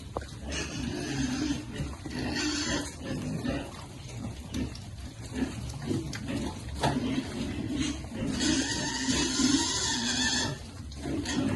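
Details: Piglets at feeding time on a farm give harsh, broad squealing bursts, some brief and one lasting about two seconds, with lower grunting and steady feeding noise between them.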